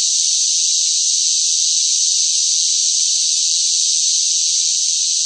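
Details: Cicadas fill the air with a loud, unbroken, hissing buzz in the hot summer heat; cicada.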